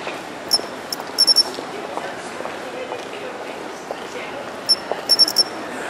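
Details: Japanese pine cricket calling from a planted hedge in a city in September; two tight bursts of ringing, high-pitched chirps, each a rapid run of three or four notes, set against distant traffic noise.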